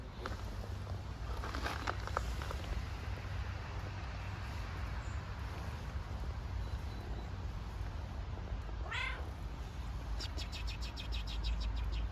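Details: Hungry homeless stray kittens on the streets of Istanbul, waiting to be fed: a single short, sliding meow near the end, set against a steady low rumble of city traffic and a few brief chirpy rattling bursts.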